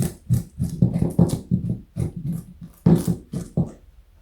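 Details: Joey, a pet rabbit weighing 4.6 kg and over 60 cm long, eats carrot indoors, giving steady, crisp crunching bites about twice a second with short gaps between them, in a quiet small room.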